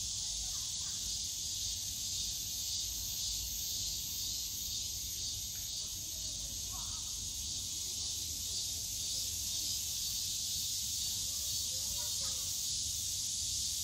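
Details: Summer cicadas in the bamboo grove of Yongsan Family Park keep up a dense, shrill buzzing chorus with a pulsing upper edge, while a few faint short chirps from other small callers and low park noise sit beneath.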